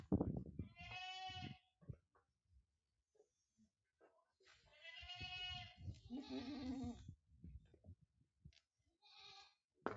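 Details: Small goat kids at a goat farm in Aurangabad, Maharashtra, India, give wavering, nasal bleats of about a second each, some high and thin, others lower and rougher, overlapping in irregular bursts across the pen, with faint thumps and rustling between.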